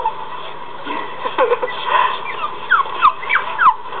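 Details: A Jack Russell Terrier watching another Jack Russell on a computer screen gives short, high whines that slide up and down, while a person talks softly.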